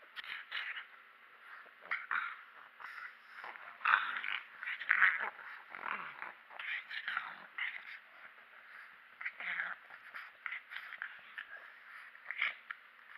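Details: Pug called Mechan, teased into anger, keeps up a long stretch of hoarse, snuffling growls and grumbles, rising and falling in repeated bursts over several seconds.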